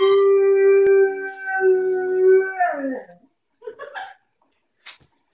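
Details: A female dog howls indoors on a rainy day while playing with a squeezy hippo toy: a long, steady, tonal howl held for about three seconds that bends downward at the end, followed by a few short whimpering yelps.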